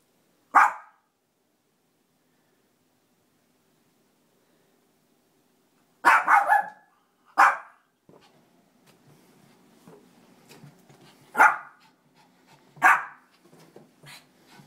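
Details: Pet Shih Tzu barking indoors, excited by balloons: five sharp, loud single barks, one near the start, then a double bark at six seconds and more at eleven and thirteen seconds, with soft rustling and low whines between.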